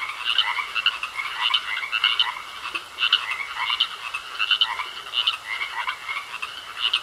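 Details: Chorus of frogs in a pond, bursts of grating croaks arriving in uneven clusters about every half second, with a constant high whine running beneath them.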